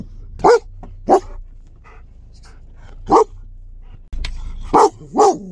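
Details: German Shepherd giving aggressive barks meant to scare people in the street: five loud, harsh, deep barks in two uneven pairs and a final double, spaced about half a second to two seconds apart, with quiet gaps between.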